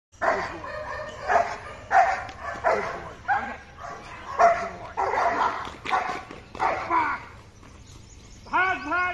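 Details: German Shepherd on watch command during security training barks in deep, regular bursts roughly every second, strong and steady, ending with a short whine.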